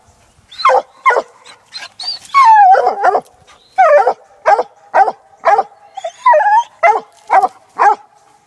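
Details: Six-month-old female Black and Tan Coonhound working a laid coon trail, giving a run of loud, ringing barks and bawls, some drawn out with falling pitch, spaced irregularly about every half second.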